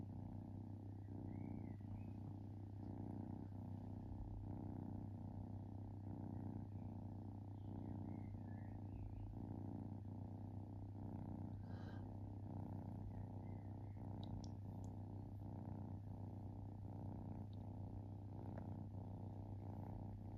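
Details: A relaxed domestic kitten purring, soft rhythmic rumbling pulses repeating about once a second beneath a constant low steady hum, with a few faint high chirping sounds scattered in the background.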